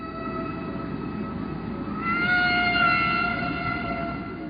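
A humpback whale sings a long, sustained tonal moan that swells and rises slightly midway.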